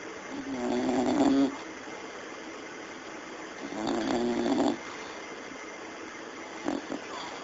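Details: A female English Bulldog snores in loud, rasping, buzzy breaths, each lasting about a second.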